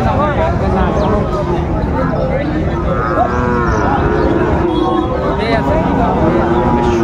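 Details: Bellowing cattle at a market where Sahiwal bull calves are sold, 19 December 2024, with a Chattogram farmer buying. Overlapping moos, some wavering and sustained, rise through a steady din of voices and background vehicles.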